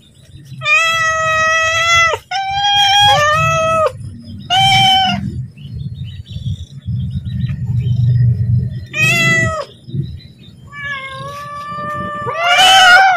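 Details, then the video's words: Pet cat calling out for food at feeding time, giving a run of long, even-pitched meows, some rising at the end, with a steady low hum running underneath. "Suara Kucing Memanggil / minta makan"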